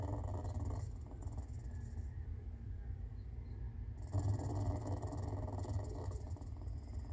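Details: Low, rapidly pulsing rumble from a clouded leopard that may be purring or snoring. It starts strong, drops quieter for about two seconds, then swells back louder and steady until the end.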